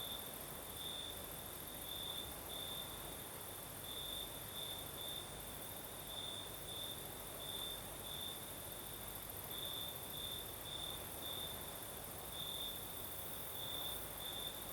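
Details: Crimean night chorus of crickets in the south, singing with a night breeze: a long run of high, pulsed chirps in irregular groups, steady throughout, over broad airy wind noise and a faint upper insect hum.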